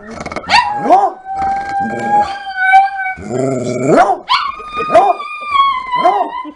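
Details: Otis, a big Coonhound, and Lulu, a Chihuahua, in a singing, howling conversation: long sustained wavering howls overlap and slide up and down, broken by short yelping barks and rising whoops between the drawn-out notes.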